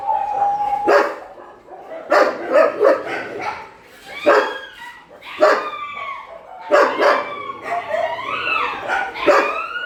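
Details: Shelter dogs at night feeding time mix clusters of sharp barks with high, rising and falling whines and yelps, several animals calling over one another.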